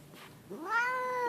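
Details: Grumpy pet cat named Leo, indoors, letting out an unprompted complaint: a single loud, drawn-out meow rising then holding level and slightly falling, strongly harmonic, with quiet room noise before it.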